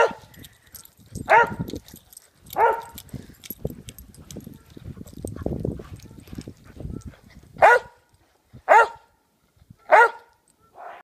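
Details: Pet dogs romping in snow, one of three brothers barking: two barks, then several seconds of scuffling and movement noise, followed by a run of four sharp barks about a second apart and a softer final one.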